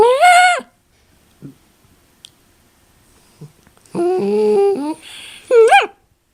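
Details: Miniature Dachshund making noises indoors in a small room: a short high whining cry, then after a quiet gap a longer lower drawn-out whine lasting about a second, ending with a brief rising yelp.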